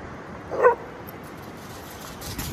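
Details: One of two lurchers playing on the beach gives a single short, sharp bark, then only a steady outdoor hiss remains.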